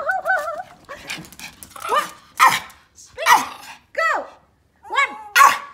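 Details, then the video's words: Pomeranian at playtime giving high sharp yaps about every second after a short wavering whine, with a person's praise in the background indoors. "pomeranian barking playtime: the funniest bark"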